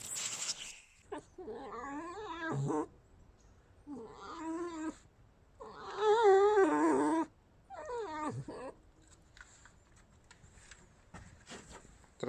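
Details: Tame red fox indoors, voicing displeasure at a person in her living quarters: four bursts of wavering, warbling screeches, harsh and cat-like, each lasting one to two seconds. The longest and loudest burst comes in the middle, and faint clicks and rustling follow.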